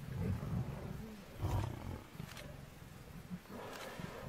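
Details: Hungry lions confronting an angry buffalo herd: deep, rough growling bursts in the opening second and again near 1.5 seconds, followed by quieter low rumbles and scattered grunts against an outdoor background.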